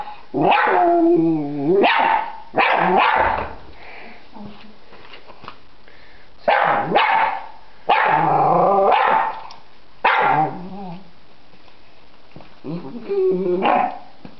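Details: Dog barking at a butterfly in a yard: loud, drawn-out harmonic barks and howl-like yowls in bursts of one to two seconds, about six in fourteen seconds, with falling tails and quiet gaps between.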